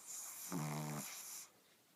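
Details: Sleeping Shih Tzu snoring indoors: one drawn-out snore of about a second, a low buzzy rattle with stacked harmonics, framed by a soft breathy hiss on the inhale and exhale in a quiet room.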